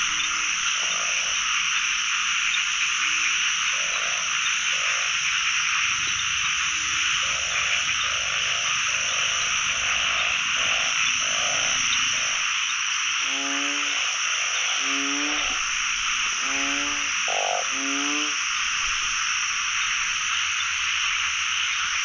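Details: Narrow-mouthed frogs crowd a pond with calls on the year's first frog-catching outing; short nasal croaks repeat steadily, becoming louder stacked bleats in the second half, over an unbroken high buzzing chorus.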